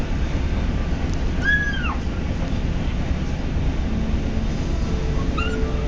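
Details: ['Eating on his first day home, the kitten Patches lets out a short arched squeak, then a fainter, briefer one a few seconds later, against a constant low rumble.']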